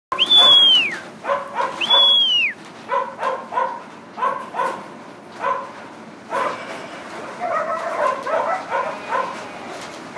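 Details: Working Kelpies backing and barking while pushing stock up at Jerilderie in 2014: short sharp barks in quick uneven bursts, roughly every second, with two rising-falling whistled commands at the start and crowd noise beneath.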